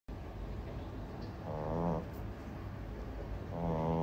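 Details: Sleeping French Bulldog puppy snoring: two drawn-out, buzzy, droning snores about two seconds apart, each a low rattling tone lasting around half a second, over a steady low background hum.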